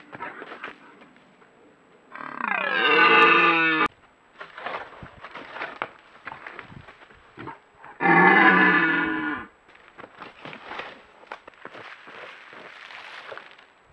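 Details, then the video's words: Red deer stag in the rutting season, filmed by a trail camera in the Bolognese Apennines, Italy, gives two loud harmonic roars of about two seconds each, separated by quieter rustling and background noise. "Cervo in amore dà in escandescenze"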